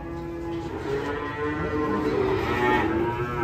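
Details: Rampaging cattle unloaded from a truck, tumbling into a ditch: a continuous low, steady moo held for several seconds beneath heavy rumbling background noise, the tone wavering slightly near its end.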